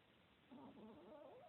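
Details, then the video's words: Sam, a fat, lazy Chihuahua recorded in 2016, snoring: one brief, tonal, wavering snore that rises and warbles through its second half against a quiet room. "Chihuahua snoring"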